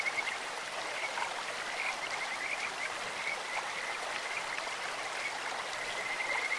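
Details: Kajika frog voices from a clear mountain stream, a high, sweet, bird-like trill broken into short bursts of rapid pulses, strongest at the start and end, set against a steady rush of running water.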